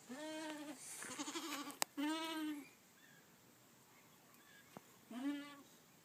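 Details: Feeding two-month-old goats: three quavering bleats, two close together at the start and one after a pause near the end, with a sharp knock and soft rustling between them.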